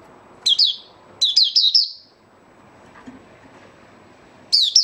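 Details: Kept white-eye in an opening song session, 8 January 2022, giving short bursts of rapid, high, twittering notes separated by pauses, over low room noise.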